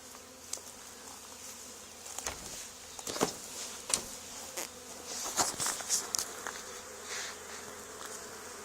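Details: Swarming honey bees flying around and landing on a barn wall after a neighbouring hive's removal; a steady droning buzz broken by frequent loud clicks and knocks, likely bees striking the microphone or handling noise.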